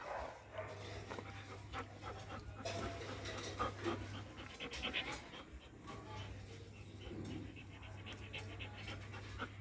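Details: Doberman dog panting: soft, rapid breathy huffs at roughly four per second, quiet and uneven, over a steady low electrical hum with faint background noise.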